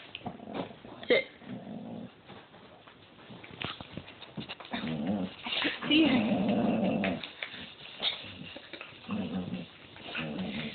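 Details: A dog growling in low, rumbling bursts, strongest around the middle, with shorter growls before and after, while people talk and call it to come and sit.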